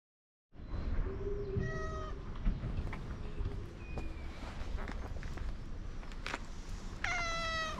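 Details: Stray cat, fluffy and pink-tinted, giving short clear meows with bright overtones, one early and a louder higher one near the end, amid steady outdoor rumble and occasional clicks.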